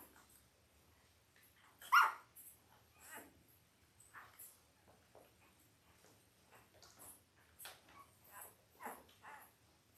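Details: Five-day-old Labrador Retriever puppies from Belle's litter of eight, born October 15, 2023, in a whelping room: one sharp, high squeak, then scattered short, soft squeaks and whimpers over faint shuffling.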